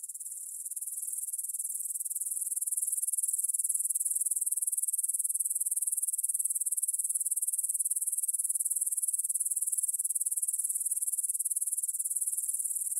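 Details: Meadow grasshoppers stridulating at 9 pm on 6 September 2020 beside the Svensky monastery in Bryansk, Russia, Tascam DR-44WL stereo recording; a thin, very high hiss rises over the first seconds into a steady, dense, unbroken buzz.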